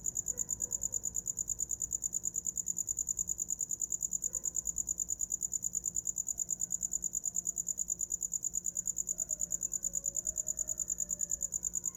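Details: Night cricket for sleeping, its shrill pulsed chirps running continuously at an even pace, about two to three per second, over a quiet low hum and a few faint distant tones.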